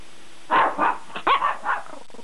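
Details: A dog sleeping in bed makes funny noises before being woken by another dog: a series of short, muffled, whining yelps and huffs, five or six in about two seconds, in a quiet room.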